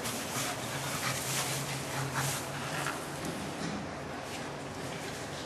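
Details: Two chimpanzees playing at Higashiyama Zoo, Nagoya, Japan, in May 2016, laugh with breathy, rapid panting bursts and a low, hoarse voiced undertone.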